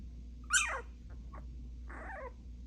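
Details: Puppies barking at each other. One high, piercing yelp falls steeply in pitch, then short faint yips follow, then a wavering whine, all over a low steady hum.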